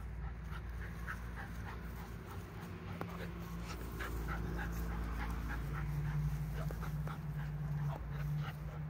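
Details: A Bull Terrier puppy at play breathes in fast, breathy pants, roughly four puffs each second, with a faint whine now and then. A steady low hum runs underneath throughout.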